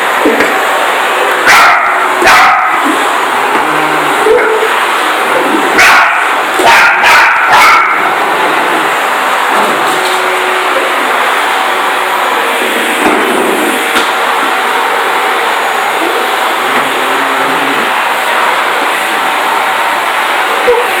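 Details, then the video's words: Parson Russell Terrier Jessie confronts a vacuum cleaner, defending her territory after initial fear. Irregular short, bright barks burst out early and again around the middle, with a steady roaring machine drone filling the background throughout. "Crazy Parson Russell Terrier JESSIE Barking up the vacuum cleaner"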